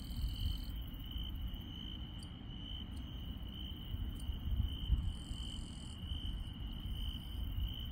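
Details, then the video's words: Insects calling at night in the countryside: a steady, unbroken high trill runs throughout, with brief higher buzzy notes starting and stopping above it, over a constant low rumble of background noise. "시골 밤의 정겨운 풀벌레 소리"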